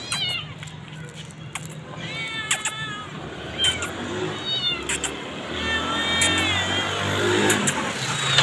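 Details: Four hungry street cats being called and fed outdoors, giving repeated high, wavering meows that overlap one another, with short sharp knocks and a steady low rumble of traffic behind.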